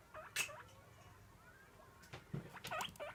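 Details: Pet guinea pig calling for food at its daily feeding time: a few short rising squeals, some faint against steady background hiss, clustered at the start and near the end.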